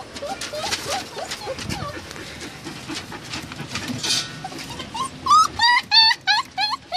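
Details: Samoyed and Siberian Husky puppies: soft, scattered whimpers under steady background noise, then a burst of loud, sharp, rising yelps in the last two seconds.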